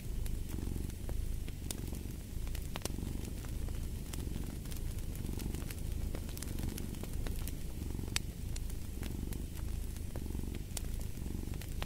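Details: Low purring cat, rhythmic rumbling swells repeating about every second, set against the popping and crackling of a wood fire in a fireplace.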